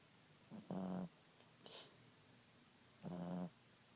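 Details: Boston Terrier named Ziggie napping, giving two short buzzy snores with a steady low drone, separated by a faint hiss between them in a quiet room.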